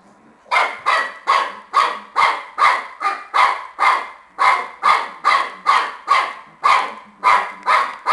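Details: Excited Shar Pei puppy playing tennis, barking almost without break: quick, even yaps at roughly two per second throughout.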